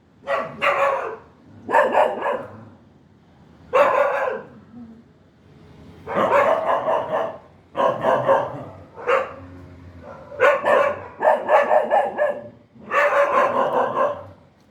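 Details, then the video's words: A dog barks loudly and steadily, with harsh, full bursts in single or double barks roughly every second. Short pauses fall between groups, and the barking is close and dominant throughout. "DOGS Natural sounds natural dog sound"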